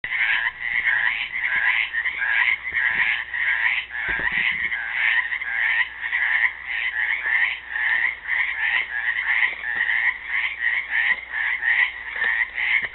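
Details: Frogs trapped in a pool in Helix, Oregon, on Earth Day 2016, calling as a dense chorus: overlapping pulsed, raspy croaks packed in a high band, repeating roughly one and a half times per second with no pauses.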